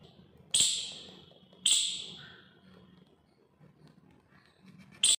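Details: An Indian palm squirrel gives sharp, high chipping calls, described as chirping and barking, spaced a second or more apart while licking soil from a window.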